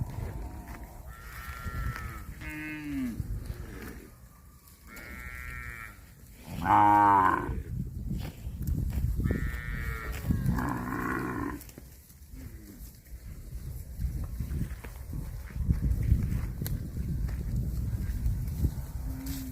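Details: Several short moos from cattle eating grass, scattered through the first twelve seconds, one louder and deeper than the rest, over a background of rustling and low rumbling noise.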